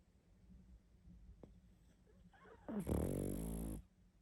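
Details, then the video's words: Sleeping pug, heavy snorer: soft breathing and small snuffles, then one loud, harsh, rattling snore of about a second. "Как спит Собака🐶Мопс сильно храпит"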